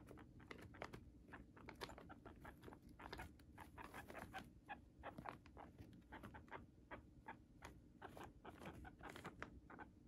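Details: Moru-chan, a pet guinea pig, eating Chinese cabbage indoors: dense crisp crunching bites, several per second in irregular bursts, a steady munching with no squeaks and no other sounds.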